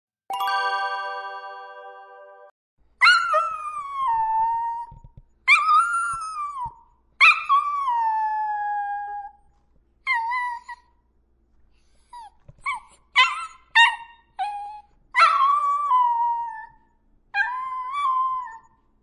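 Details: Several dogs howling: drawn-out tonal wails that start high and slide down to a steady low pitch, rich in overtones, coming in repeated bursts with short gaps and a few brief sharper yelps near the end.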